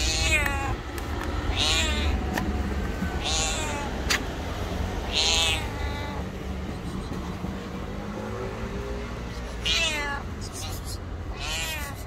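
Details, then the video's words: White street cat, very hungry, hugging someone's feet and crying out; a run of loud, wavering meows roughly every second or two, some rising then falling, against low background hum. "Poor White Cat hugs my feet and Meows loudly to say it's very hungry."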